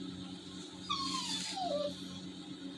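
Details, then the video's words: A pet Labrador Retriever, sad after missing his walk because of rain, gives a single thin whimper that slides downward, over a steady low hum in a room. "TOBY THE TALKING LABRADOR/SOUNDS SAD"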